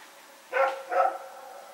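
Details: Night-time barking from Rex and his companion as they run around, Sep 21, 2018: two quick barks in succession within half a second, over a steady low hiss.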